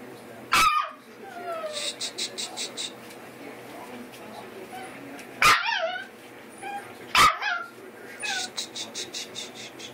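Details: Eight-week-old American Eskimo Dog puppies indoors at bedtime, listening for their mother outside on the deck, give three sharp, loud barks spaced several seconds apart, with bursts of rapid high squeaky notes between and a man talking quietly.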